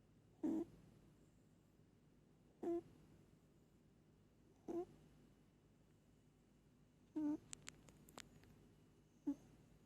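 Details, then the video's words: Pet cat Moli sleeping and snoring all night: brief nasal snore bursts about every two seconds, five in all, with a few sharp clicks near the end and low room hum. "Cat snoring"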